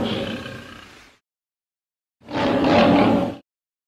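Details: Lion in an edited recording: a fading raspy growl, a one-second silent gap, then a short, loud, hoarse snarling roar lasting just over a second.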